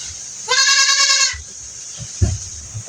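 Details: Goat with pink eye during treatment, a single strong quavering bleat of under a second, rich in harmonics, followed by thumps and handling noise over a constant high-pitched hiss.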